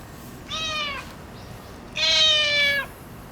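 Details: Ginger tabby tomcat, boss of his territory, affectionate after neutering: a short meow followed by a longer, louder, drawn-out meow with rich harmonics, quiet surroundings.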